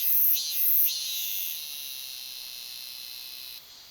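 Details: A Robust Cicada, a species that sings in cooler places and is said to be disappearing in the south, gives a shrill, high buzzing drone with two louder pulses in the first second, then a steady hiss that drops away near the end.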